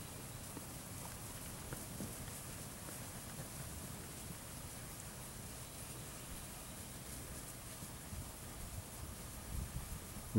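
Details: Outdoor wind rush and rustling fill the recording with a low rumble, ending in a brief knock, and no animal calls are present.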